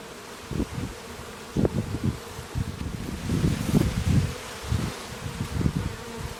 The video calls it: Bees and clues. Full HD. The real hum of bees. Sounds of nature.